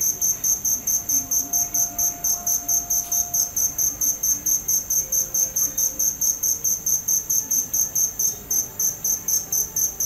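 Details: Shrill cricket chirps repeat evenly, a little over two per second for ten seconds, each pulse a bright metallic trill over a quiet, low background murmur.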